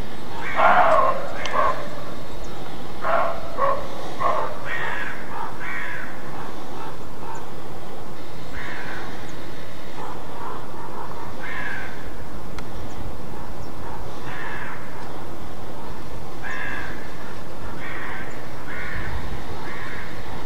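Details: Roe deer alarm barking, or Schrecken: a series of short, hoarse barks, loudest in the first seconds and then fainter and irregular over about twenty seconds, against a continuous low background rumble.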